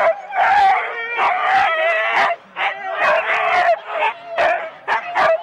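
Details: Four-dog Husky teams at a January 2016 sled start in Rendlesham, captured on analogue cassette; eager barks and yelps with long quavering whines, a short pause midway, then renewed bursts of barking from several dogs.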